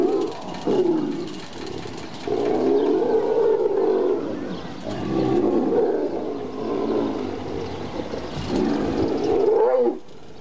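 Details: Tigers fighting aggressively; long, rough, rumbling growls and snarls come in sustained waves for about ten seconds, with short breaks between bursts.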